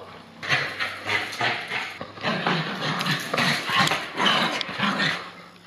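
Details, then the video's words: Pierre, a loose Bichon Frise, teases leashed housemate Frannie during play; dense bursts of growling and high yips repeat roughly every half second, noisy and continuous throughout. "Stuck on a Leash, Bichon Frise Brother Chase... goes Crazy Teasing"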